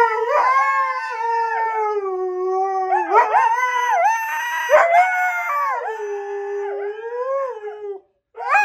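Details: Sustained howling from a Siberian Husky, a continuous mid-pitched wail that bends up and down with yodel-like dips, then cuts off briefly near the end.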